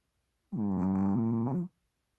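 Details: Hodu the Chihuahua, fast asleep on a soft microfiber blanket with tongue slightly out, gives one steady, humming snore of just over a second, evenly pitched with small wobbles, in a quiet room.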